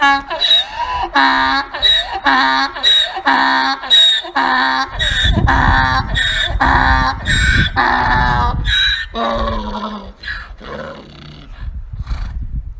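A donkey brays in a long, rasping series of harsh alternating hee-haw pulses.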